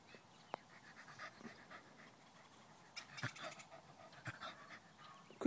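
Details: A puppy at play with Ketch, breathing in short, breathy, broadband bursts, with human speech running through the clip, scattered knocks and clicks, and a sudden loud burst at the very end.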